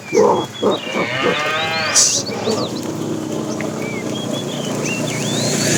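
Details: A fat cow calling to the female while a tame herd is driven in the afternoon: a short, wavering, harmonic moo after a few soft grunts, followed by steady background noise and scattered high bird chirps.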